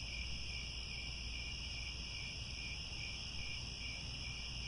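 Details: Sunset cricket chorus from grasslands at Angkor Wat in Cambodia, heard as layered, unbroken high-pitched trills that hold steady for the whole stretch, with a soft low rumble underneath.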